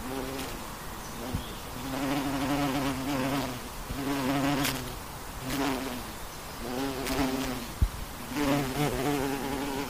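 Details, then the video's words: Western honey bees in flight: a low, steady droning hum with rich overtones, swelling and fading as insects pass close every second or two, with a few sharp clicks and a soft background hiss. "Honey Bee Flying Sound"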